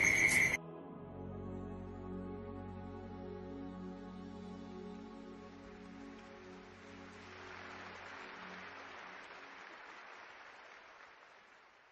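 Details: Soft, sustained ambient music with a brief loud opening burst, then a slowly fading wash of tones; no animal voices.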